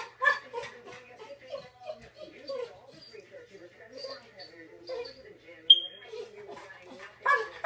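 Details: A yellow Labrador Retriever that had mixed up the bed makes a string of wavering, moaning whines and grumbles, as if explaining himself and 'talking back'.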